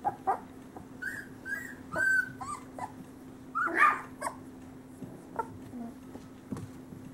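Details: Great Pyrenees puppies, males of Bella and Ranger's summer 2013 litter at about three weeks: sparse short whimpers and squeaks with gaps between, one louder squeal burst midway, faint hum throughout.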